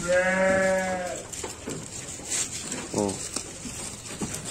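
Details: Garut sheep fed supplementary feed gives a strong, steady, harmonic bleat of about a second, then a shorter, wavering second bleat, with knocks, shuffling and a voice in the background.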